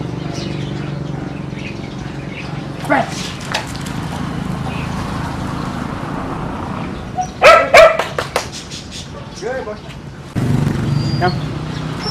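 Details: Kiefer, a one-year-old German Shepherd kept as a family dog in Bohol, Philippines, gives a few sharp barks in a quick burst midway, then another short bark. A low steady hum and some voices run in the background.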